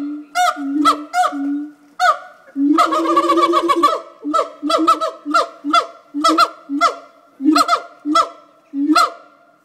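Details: Siamang gibbons at Fota Wildlife Park, Cork Harbour, give their daily call, loud, honking barks in uneven bursts with a quick run of hoots partway through, which carries up to 5 miles.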